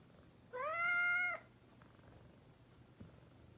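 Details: A domestic cat, described as a mischievous cat, gives one clear, drawn-out meow of almost a second, steady and slightly rising at the start, in a quiet indoor setting with faint low hum.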